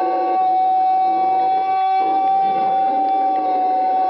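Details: Howler monkey calling in February 2009 at Ambue Ari park, Santa Cruz, Bolivia: one long, steady, tonal howl held at an even pitch, rich in overtones, with a short break midway.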